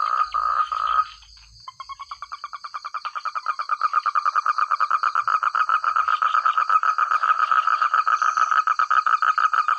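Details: Frogs in village rice fields: a loud croak opens, then after a brief gap a rapid train of clicking, rattling pulses builds and runs on steadily, about five per second, over a constant high insect whine.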